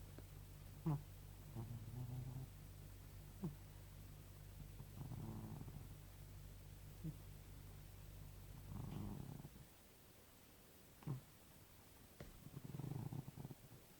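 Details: Domestic cat snoring beside someone trying to fall asleep: three soft, low, breathy rasping snores spaced about four seconds apart, with faint clicks and a steady low hum between them.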